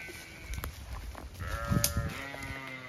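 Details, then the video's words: Zwartbles ewes in a field on a County Kilkenny farm in Ireland, all very chatty while the field is checked, with a drawn-out bleat in the second half after a short call, plus rustling and handling noise. "Ewes all very chatty as I check their field"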